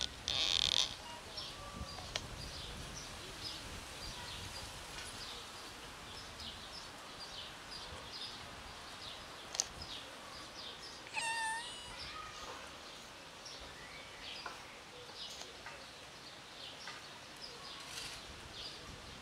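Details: Unwell, pregnant tiny black kitten meows briefly and loudly at the very start, then stays mostly quiet before a second short, wavering cry near eleven seconds, amid faint rustling and scattered high chirps.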